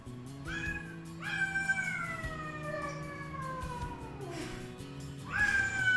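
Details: Three rescued feral domestic cats, a black mother and her two grown kittens, give long, drawn-out meows sliding slowly downward in pitch each morning when expecting wet food, with music in the background.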